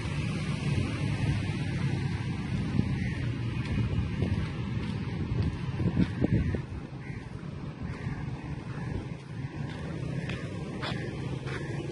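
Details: Steady low wind rumble buffets the microphone throughout, with a few faint clicks and no clear animal calls.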